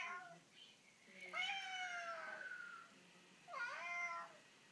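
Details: A Siamese cat that loves the bubbles in a water cooler gives long, drawn-out meows with a slight downward slide, two calls a couple of seconds apart.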